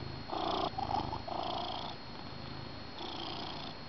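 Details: Domestic cat, male, purring in the morning on a couch beside his person while coffee is drunk, lying with his beloved blanket; steady low rumbling purr with louder pulsed phases that swell and fade about once a second, quiet indoor room.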